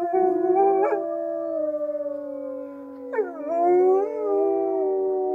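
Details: Wolves in an enclosure at Polar Park, Norway, join in a group howl around a lodge, each voice a long note drifting lower; midway a fresh voice swoops in, then the layered tones rise and level off.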